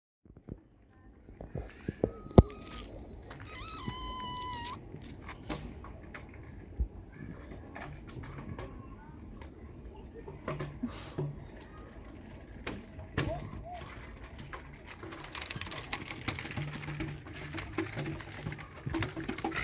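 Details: Stray tabby cat with gorgeous fur, a female, searching for food near a trash can on the street; one clear rising-falling meow with bright harmonics around four seconds, amid clatter, rustling and low background noise.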